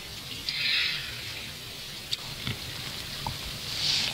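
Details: Harbour porpoises in the Førdefjord, western Norway, seen from shore, surface with two short, hissing puffs of breath about three seconds apart, with faint water splashes and ticks in between.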